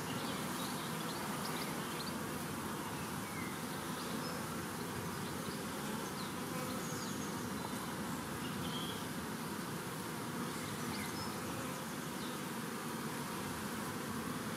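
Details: Huge honeybee swarm, part of one collected on World Bee Day 2019: a continuous, thick buzzing drone, loud and unchanging, with many wingbeats blending into one steady hum.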